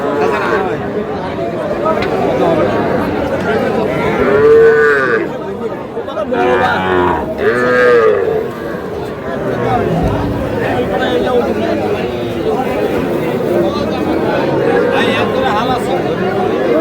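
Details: Four- to five-month-old calves at Aftabganj market, Dinajpur district, Bangladesh, on a Saturday. Two clear, arching moos ring out near four and a half and eight seconds, while buyers and sellers talk and bargain around them.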